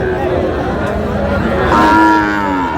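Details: At a Dinajpur cattle market, a Sahiwal bull calf gives a short, rich, harmonic lowing moo late in the moment, amid steady crowd murmur and bargaining voices.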